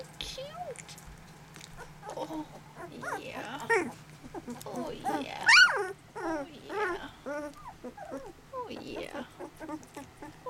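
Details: Sweetie's litter of eleven 18-day-old puppies, eyes open, mother away: thin, squealing whimpers that rise and fall in quick bursts, mixed with a woman's cooing voice nearby.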